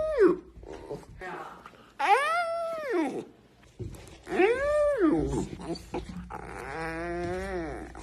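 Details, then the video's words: Puppy yawning repeatedly for the camera indoors, arched squeaky whines swelling and fading, followed by a longer wavering groan, with faint rustling between yawns. "Funny cute puppy yawning video"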